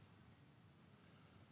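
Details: Crickets heard outdoors in cool night air, a steady, very high continuous shrill trill running unbroken through the whole moment over a faint low rumble.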